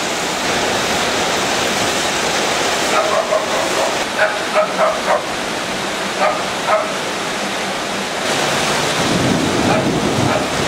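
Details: Honey, a pet dog, barking while circling in reaction to thunder; a cluster of short, sharp barks in quick succession mid-clip, partly masked by a steady rushing hiss, with voices in the background.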